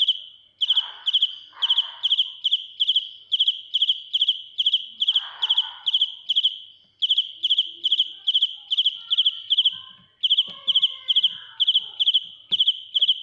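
A cricket sings loud, shrill, pulsed chirps, repeated a little more than twice per second.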